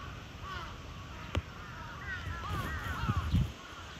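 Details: At Chiba Zoological Park on 8 April 2023, the cheetah Zuraya utters a brief cluster of high, curved chirps. Low thumping and rumbling noises build toward the end.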